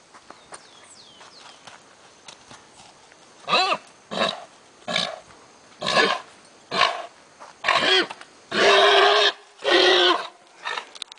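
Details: Lusitano stallion teased before mares on a stud farm, letting out repeated grunting squeals roughly once a second. The bursts grow into longer, loud, harsh cries near the end, with light rustling between them.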